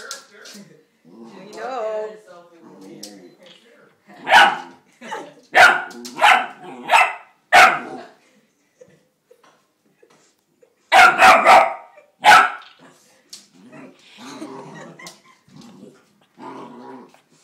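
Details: Female Seeing Eye puppy on her first day home after hours on a cargo plane, barking at her own reflection in a mirror, upset that the other puppy won't come out and play; sharp barks in two bursts, a run of about five then three more, with soft voices early on.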